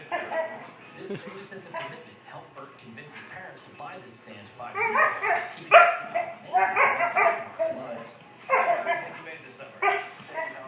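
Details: A female German Shorthaired Pointer makes her "chimp" noises, bursts of high, hooting yelps like a chattering monkey, while harassing another dog.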